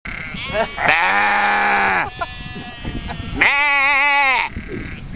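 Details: Sheep at Manor Farm Country Park baaing back over a fence at people who shouted baa at them; two long, wavering, nasal bleats, each about a second long, separated by a short pause.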